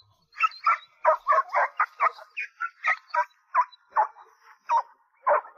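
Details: Dog yelping excitedly during play after finally succeeding, short harmonic yelps repeated rapidly, about three per second, sharp and strained.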